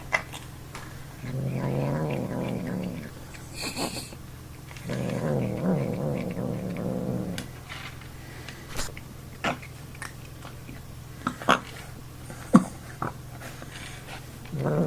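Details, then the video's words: Male cat that dislikes being touched or picked up, making odd noises while eating: two sustained rough growling bursts of about two seconds each, then scattered clicks and snorting sounds, with a person talking nearby. "Cat making weird sounds while eating"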